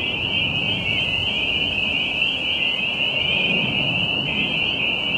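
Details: A dense chorus of tree frogs at a pond near Jamaica Bay, New York City, makes a steady, high shrill trill with no gaps, over a low rumble of distant traffic; green-winged teal are also present.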